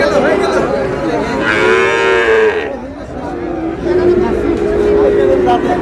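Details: Sahiwal bull calf at a busy cattle market in Chattogram, Bangladesh, on 1 May: a sustained, harmonic-rich low moo lasting about a second, surrounded by steady crowd chatter and men's voices bargaining.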